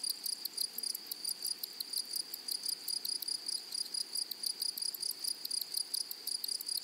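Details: In a flowering meadow, grasshoppers produce a bright, shrill tone with evenly spaced buzzy bursts, roughly several per second, forming a steady rhythmic pattern. Nothing else clearly audible.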